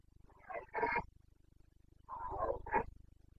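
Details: Carpathian red deer stag in Bucovina's mountain forests, roaring (boncănit) during the breeding season rut on 29 September 2022. Two harsh, grating bellows roughly a second apart, each swelling to a rough peak, over a faint steady low pulsing hum.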